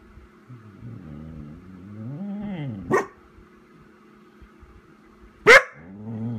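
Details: Vizsla named Chica, indoors calling for its absent owner, rises from a low moaning whine into two sharp loud barks a few seconds apart, followed by another low whine.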